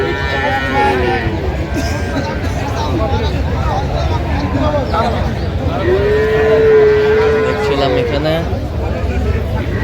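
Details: Cattle offered for sale with calves at Aftabganj haat, Dinajpur, Bangladesh, on 17 January 2026: faint lowing early, then one clear, sustained level moo about six seconds in, against constant talk and market bustle.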